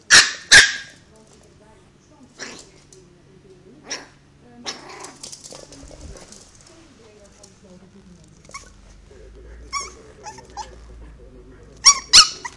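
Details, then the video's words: Chihuahua puppy Mr Sniffle, three months old, during his first barking: a few scattered high, thin yips at the start and end, with soft voices and quiet rustling in between. "Mr Sniffle's first bark!!!"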